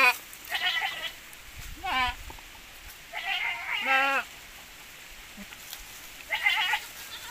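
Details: Goats from a crossbreeding of Javanese goat with Boer cross, kids from this pairing noted as larger; several short wavering bleats with vibrato, some high-pitched, separated by pauses, over quiet background.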